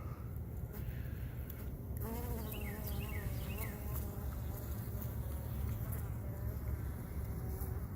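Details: Honey bees at their hive on a mild December 28th winter day, checked for sugar brick supply while dead bees are cleared from the entrance by mortuary bees; a low, steady droning hum with wavering buzzy tones and faint brief chirps above.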